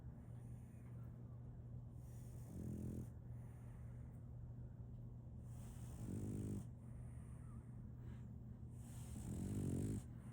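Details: Female French Bulldog puppy Solaimy asleep and snoring; three low, buzzy snores arrive about every three and a half seconds, each lasting under a second, with soft breathing and a faint hum between.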